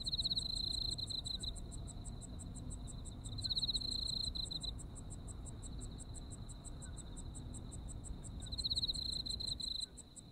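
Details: Autumn insect chorus from Japan: an endless quick ticking and a steady high trill. Loud buzzy trill phrases come at the start, near four seconds and near nine, over a low background rumble.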